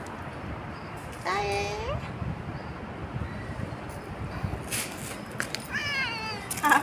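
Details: Bobtailed pet cat, described as clever, gives two drawn-out meows with rising then falling tone, the first near the start and a higher, wavering one near the end, while a man talks and coaxes it nearby.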